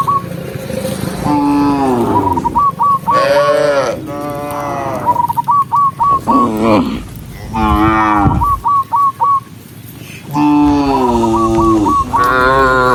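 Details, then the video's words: A herd of dozens of cows moving along a forest road gives repeated drawn-out moos, some rising and falling, one after another, while a brisk whistled chirping phrase recurs between them. "Dozens of cute cows walking neatly along the forest road with the sound of cows mooing, cow Sound"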